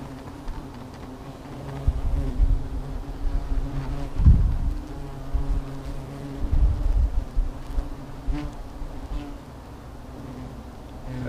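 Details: Agitated hornets around a nest that is being monitored: a low continuous drone, broken by several dull thumps and handling knocks in the middle.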